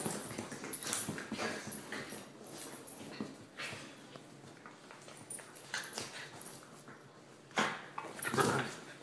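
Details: Two Rat Terrier sisters fighting indoors, giving short yips, whimpers and scuffling growls in irregular bursts, with collar and paw noise between calls.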